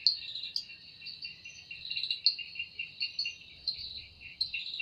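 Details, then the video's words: Evening forest chorus of cicada song, described as made by the wings: continuous piercing high-pitched drone overlaid by throbbing lower pulses and occasional sharp louder peaks, rising and falling irregularly. "Woundering voice of Cicada"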